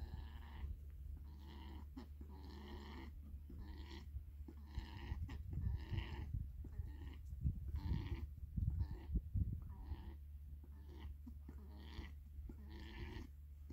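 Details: Borrowed stud alpaca named Mister, kept in summer after years without seeing another alpaca, meeting the resident females: a steady series of throaty, pulsing calls repeated roughly every half second, with low rumbling background noise.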